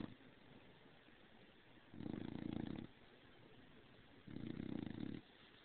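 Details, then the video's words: Two drawn-out rumbling snores, each nearly a second long, from the bulldog Stargazer Lily Rose as she sleeps overheated under the covers, with quiet breathing in between. "Stargazer Lily Rose Do Snore"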